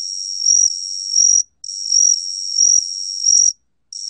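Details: Gaksi cricket (각시귀뚜라미), recorded by the National Institute of Biological Resources in 2020, giving a continuous high-pitched buzzing trill that swells in short pulses, then stops briefly before resuming.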